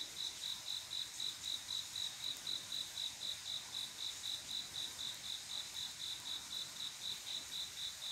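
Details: Male cricket calling a female for mating on a quiet summer night, producing a long, very even run of sharp high chirps, roughly four per second, with a faint wash of other insects behind.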